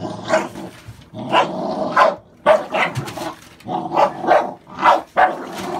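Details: Six sharp, harmonic barks in quick succession from American Staffordshire Bully dogs, puppies born 11/16/2017, each bark a short loud burst separated by brief gaps of under a second.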